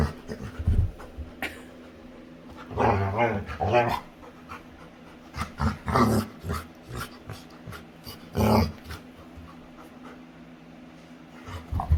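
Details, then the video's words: A female pet Labrador retriever playing with her owner makes playful growling grunts in short bursts a few seconds apart, with quiet panting and household background between them. "Cutest Dog Makes Funny Sounds While Playing"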